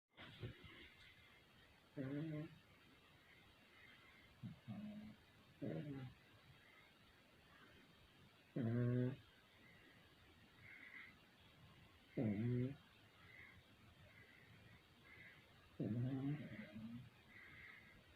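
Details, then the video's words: Two Pekingese dogs snore loudly, with low, rumbling, raspy snores repeating every few seconds. "2 Pekingese snoring loudly... Chewy&Loki"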